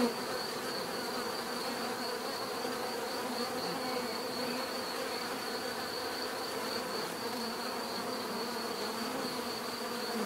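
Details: Steady drone of numerous buzzing bees, even and unbroken, with several overlapping hum pitches and a faint continuous high-pitched line above.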